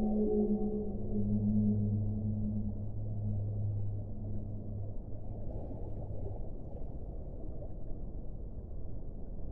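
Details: Whale moans: a deep, resonant, drawn-out tone with a humming overtone holds for about five seconds, then dies away into steady low watery rumble.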